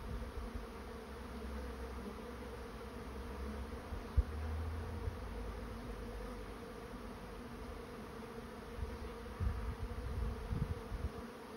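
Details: Honey bee swarm moving into a swarm trap: a steady, dense hum with layered low and mid tones, over a deep rumble and a few soft knocks around four seconds.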